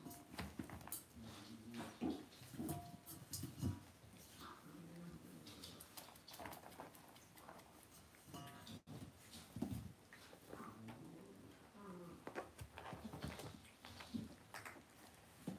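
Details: Cavalier King Charles Spaniel puppies raised indoors in a home puppy pen make soft, wavering whines and low grunts throughout, often overlapping, against steady rustling and scratchy bedding noise.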